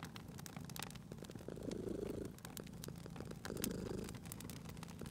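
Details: Purring cat beside a fireplace; two rumbling purr phases, each close to a second, rise and settle with breathing, accompanied by continuous crackle and occasional loud pops of burning logs.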